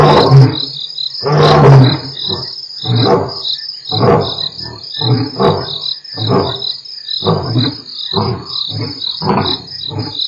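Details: Mapogo Coalition lions, two males heard on Africam's Nkorho stream on 12/11/07: a roaring bout opens with two loud low bursts, then shorter grunting pulses repeat under a constant shrill cricket trill.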